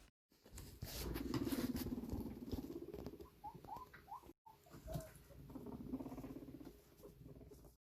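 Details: A guinea pig rumble-strutting gives a low, vibrating rumble; this is a non-aggressive dominance signal made by boars and sows alike, and is also used by a boar wanting to mate with a sow.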